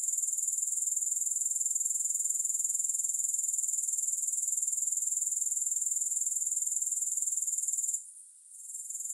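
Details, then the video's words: Grasshoppers keep up an unbroken, high, fast-pulsed trill for about eight seconds, then the chorus suddenly fades before building back near the end; no music or other sounds. "3 Hours of Grass Hopper Sounds to help you Sleep, Focus & Relax."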